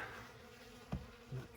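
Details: Honey bees working leftover honey and uncleaned comb at an open winter feeding station in December; low droning buzz with two short louder bursts as bees fly close.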